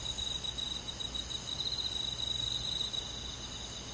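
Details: Crickets among other insects of a rural summer-night forest, a steady high trill pulsing rapidly throughout, with fainter bright insect tones layered above it over a soft hiss of night air.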